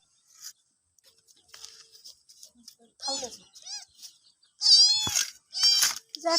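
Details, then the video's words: Cats and kittens meowing loudly: several short rising-falling meows of varying pitch, the last ones loud and strained, with scattered clicks and rustles before them. "Funny Cats and Kittens Meowing Compilation 2021 | Cute Baby Cat Sound Effect"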